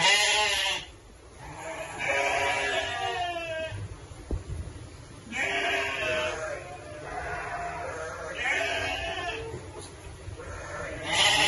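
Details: Sheep bleating in overlapping, wavering harmonic calls, several long quavering bleats following one another across the recording.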